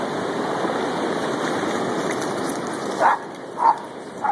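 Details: Dogs playing in the waves at Lighthouse Field State Beach: Rowdy Joe, a 7-month-old Boston Terrier, keeping up with Casey, a 2-year-old German Shorthair Pointer. Three short barks near the end, about half a second apart, over steady roaring surf.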